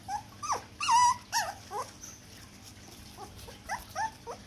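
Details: Four-week-old poodle puppy, at the age when it starts being introduced to food, giving thin high whimpers and short yelps, several sliding downward in pitch, in scattered bursts with quiet gaps in a small indoor room.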